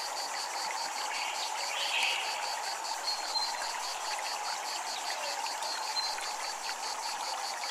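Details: Japanese temple ambience of cicadas pulsing rhythmically in a rapid, even high buzz, several beats per second, layered over flowing water, with a faint chirp early on.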